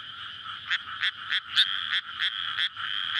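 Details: Frog chorus at night in May in a flooded rice paddy before planting, surrounded by housing; courtship calls recorded on a Sony PCM-D100. A dense steady croaking drone with louder rasping pulses about three times a second.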